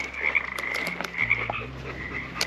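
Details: Wild frogs calling near the creek in Pine Creek Canyon, Red Rock Canyon, during a hike, shortly before they suddenly went quiet. A steady mid-pitched trilling drone carries throughout, with a few brief clicks and light rustling.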